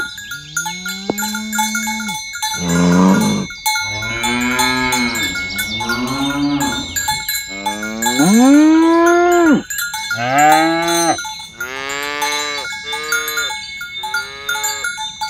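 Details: Dozens of tame, fat cows herded along village roads in the morning toward the pen. Several long, deep moos rise and fall one after another, some drawn out and wavering, over a steady ringing of cowbells.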